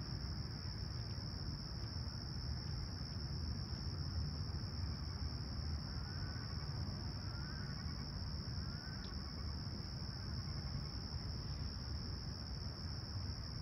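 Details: Crickets at dawn on a serene July 2020 morning in Toronto's Humber Bay Shores, clear and about 20ºC; a steady high continuous trill runs throughout, with a few soft bird chirps midway and a low urban rumble beneath.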